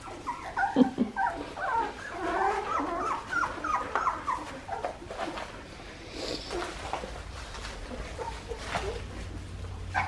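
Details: Litter of 2.5-week-old Australian Shepherd puppies, parents Poppy and Dublin, at an Oklahoma breeding farm, whimpering in quick, overlapping squeaks and yips that fade to soft murmurs by the end.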